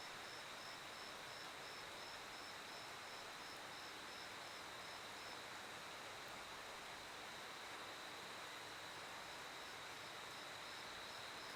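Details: Crickets chirp in steady, high pulses over a soft, constant hiss like running water, with passing vehicles and people's voices also in the recording.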